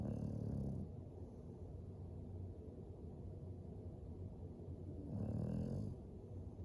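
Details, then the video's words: English Bulldog sleeping by a fire, snoring: two deep, rumbling snores about five seconds apart over a steady low background rumble. "Four minutes of a dog snoring by a fire"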